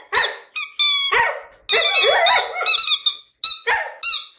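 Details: Siberian Husky Jasmine in a lyrical mood, singing squeaky whining notes that rise and fall, one longer wavering yowl in the middle flanked by shorter clipped cries.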